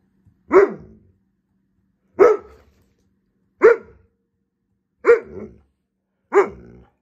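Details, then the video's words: Alaskan Malamute, a large pet dog, yelling at its owner indoors: five loud, short, harsh barking yells spaced about one and a half seconds apart, with a woman's voice asking what the problem is between them. "Considering getting a malamute? Be ready for them to constantly yell at you😂"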